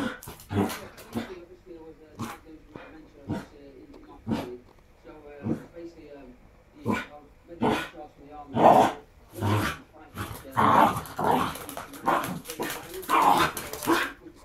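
A Shiba Inu gives short, sharp barks and yips at irregular intervals, with human speech alongside.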